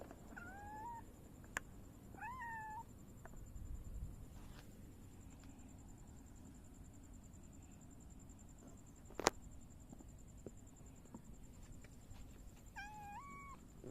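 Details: Silver tabby cat greeting a visitor after a four-day absence, rubbing against them; two bending meows early, a sharp click midway, and a final meow at the end over low background hum.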